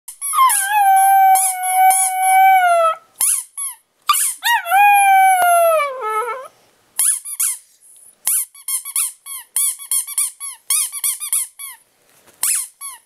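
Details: Pet dog Teddy Bear Pierre howling at a squeaky toy he howls at only when squeaked: two long, steady, harmonic howls, the second sliding downward, alternating with quick bursts of high toy squeaks.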